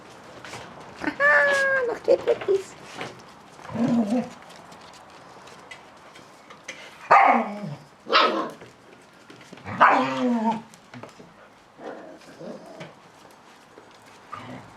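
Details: Catalan Sheepdog puppies at play, giving scattered high yips and short harmonic barks and whines in uneven bursts, with quiet gaps between them.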